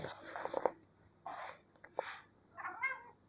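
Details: A pet kitty that always wants to climb up to its owner's shoulder gives a short, rising-then-falling meow near the end, after bursts of rustling and scratching noises indoors.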